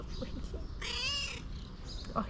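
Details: Cat uttering a single short, arching meow of about half a second, rising then falling, with quiet voices and faint household noise around it.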